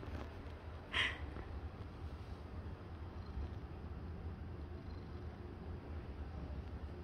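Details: A seal point Siamese cat purrs steadily, a low throbbing rumble, pleased at being stroked and wanting attention and affection.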